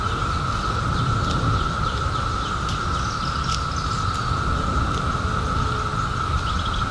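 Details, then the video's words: An unchanging, ringing chorus of cicadas that emerged in 2021 after seventeen years underground fills the recording, with a few brief clicks and faint bird chirps above and a low rumbling noise beneath. "CICADAS 🌿 Sounds"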